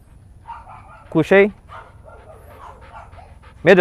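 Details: Training session with a female Belgian Malinois in the Philippines: a sharp double bark, then low talk, then another bark cut off at the end.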